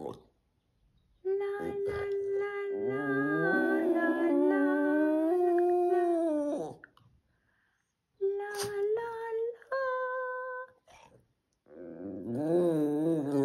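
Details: A Boston Terrier howls ("sings") in long, sustained, rising tones alongside a woman singing to him, early on a Sunday morning. Finding: Boston Terrier.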